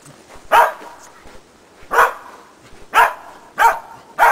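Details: Sharp, loud barks repeated roughly every second, five in all, from Shetland Sheepdog Preston in agility training on a ground box with a jump grid, laying foundations for running contacts; faint background noise between barks.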